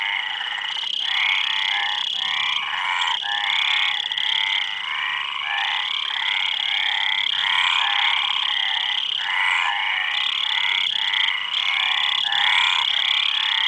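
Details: Long stretch of frog chorus: harsh, buzzing croaks tumbling over one another about three times a second, never stopping, backed by a steady shrill drone throughout.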